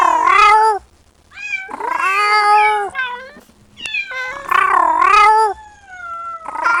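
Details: Loud, insistent kitten meows calling for its mother, about four strained, wavering cries in quick succession, some rising then falling, with brief pauses between them and a faint steady low hum.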